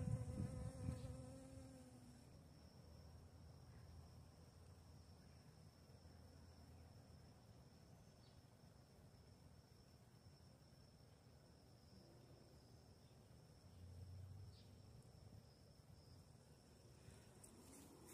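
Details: Western honey bee (Apis mellifera) at flowers gathering nectar, a low droning wing buzz close by at first, then fading into soft background rumble.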